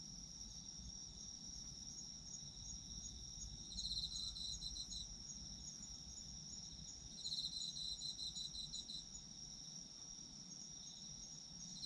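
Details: Autumn insects singing, meant for sleep listening: a continuous high-pitched drone broken by two bouts of quick pulsed chirps, each lasting about one to two seconds, with soft low ambient noise beneath.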